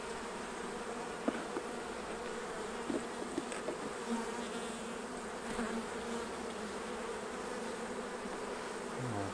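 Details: Honey bees humming steadily as the beekeeper harvests honey from the hives, a continuous low drone with scattered clicks and a few faint knocks, a voice starting near the end.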